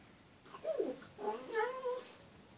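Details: Pet dog howling, the behaviour that wakes its owner: a short falling whine-like note, then a longer sustained, slightly wavering tonal howl with clear overtones, in a quiet room.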